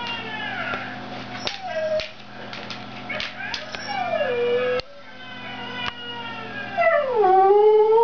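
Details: A Siberian husky "singing": long, wavering, rich-toned howls that slide downward at their ends.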